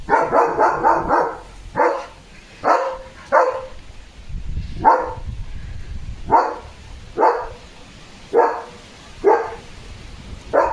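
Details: Leo, a German Shepherd, barks loudly while getting soaked in the rain on a very windy day, playful and excited: a rapid burst of four sharp barks, then single barks spaced roughly a second apart, with a low rumble between them.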